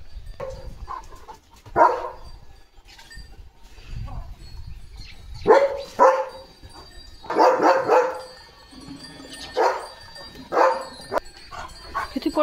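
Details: Leo, a German Shepherd, on a quiet village morning at a farm, barks in loud, irregular bursts with uneven pauses. Some bursts are single barks and some come in quick pairs. A person's voice is faintly heard between them.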